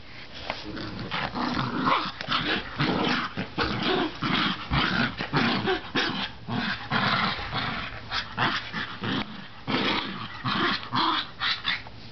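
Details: Bichon dog growling while playing with a toy indoors with family; rapid rough broadband growls and snarls in dense bursts, nearly continuous, with short gaps every second or so.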